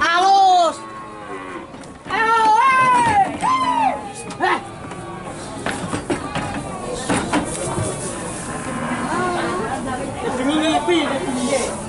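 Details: Young calves (sapi pedetan) being loaded in a group at the Pamotan cattle market in Rembang: drawn-out, strongly harmonic moos bending up and down in the first four seconds, followed by crowd noise, knocks and a softer closing bellow.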